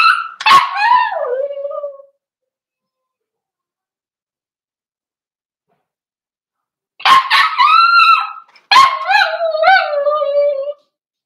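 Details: Cavalier King Charles Spaniel puppies, four weeks old, indoors in a puppy pen. Drawn-out whining whimpers that fall in pitch, one at the start and two more after a long silence, each opening with a sharp yelping onset.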